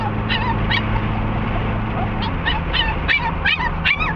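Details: Eager for Sarah Park Dog Park in Lake Havasu City, Cricket the dog whimpers and yips in high, wavering squeals, sparse at first and then quickening, against the low drone of a moving car.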